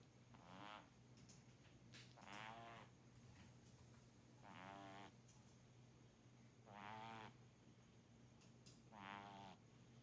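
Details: Sleeping kitten snoring softly, with a raspy, buzzing snore roughly every two to two and a half seconds over a low, steady background hum.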